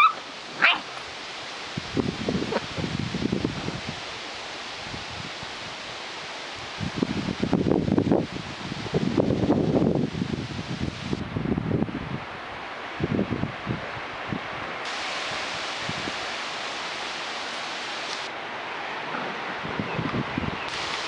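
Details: Fox red Labrador Retriever puppies playing in a yard, giving short bursts of low, rough barking and growly play noises in clusters, with rustling and a steady background hiss between bouts.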